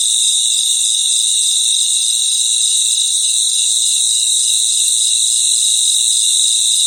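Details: Many crickets singing together at night, producing a sustained shrill buzz of overlapping high tones without breaks, with no other clear sounds.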